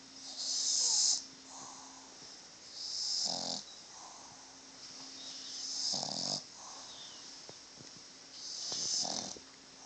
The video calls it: Wally the Boston Terrier snoring loudly!